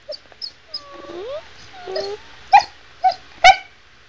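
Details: Chow Chow Sugar "talks" to her owner: two gliding, slurred whines followed by three short clipped yelps, with a person's questioning voice close by.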